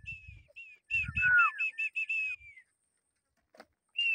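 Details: A stallion and a mare of Ternopil draft horses, brought together for breeding on 22 October 2024, give a short shrill whinny of quick tremulous pulses ending in a falling tail, with low rumbling noise at first.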